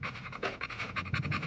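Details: Standard American Bully dog, 4 years and 8 months old, panting in quick, rhythmic breathy bursts about every fifth of a second, steady and close throughout.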